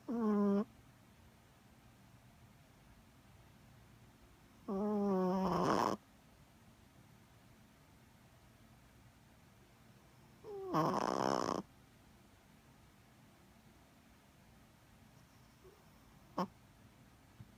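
A Chihuahua snores in its sleep with drawn-out, wheezy, slightly whistling breaths. Each snore lasts about a second and comes every five seconds or so, with quiet between.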